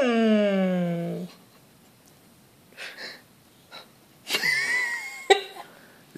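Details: Ziggy, a pet Golden Retriever, grumbles to ask for his dinner once the household finishes eating: a drawn-out, harmonic, slightly falling moan lasting about a second, then soft wheezy breaths and short snuffling noises.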